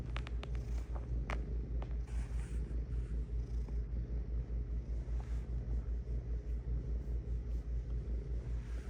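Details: Cat purring in a low, continuous rumble, its rhythmic throbbing pulses repeating roughly two and a half times each second; a few light clicks and rustles early on.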